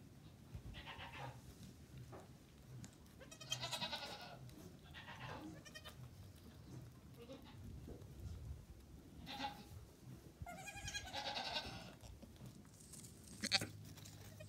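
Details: Goat kids and nannies on a farm, a newborn kid among them: several quavering bleats of varied pitch scattered through the recording, some high and tremulous, over a steady low background hum.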